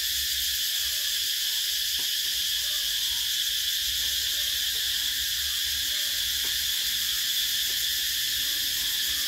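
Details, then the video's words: Cicadas chirping in summer, 2024: a steady, piercing wall of high buzzing that never breaks, with sparse faint taps and murmurs far below it. "Tiếng Ve Sầu kêu mùa hè"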